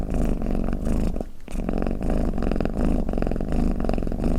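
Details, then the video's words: Low, rattling purr from a snoring domestic cat, steady rhythmic swells broken by a short pause in the middle before the rumble resumes. "เสียงแมวกรน เปิดให้แมวฟังเคลิ้มๆไปเลยค่ะ | Snoring Cat"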